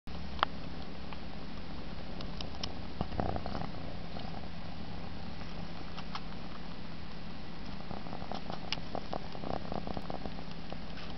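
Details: Egyptian Mau cat purring contentedly while sucking its paw; a steady low continuous rumble with faint clicks and rustles over a constant background hum.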